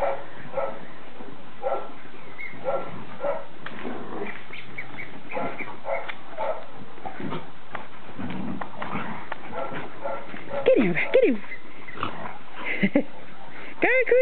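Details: Puppies at play, giving soft whines and short whimpering yelps, with a few rising and falling squeals near the end, over a steady low rumbling background noise.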